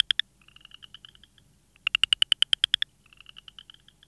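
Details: A frog gives a quick series of sharp, evenly spaced clicking pulses, then a fainter, faster ticking trill, with the pattern repeating.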